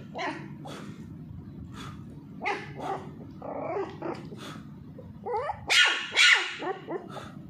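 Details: A Pomeranian (Indian spitz) puppy, being teased while playing with a ball, gives quick, shrill yapping barks in uneven bursts, loudest near the end.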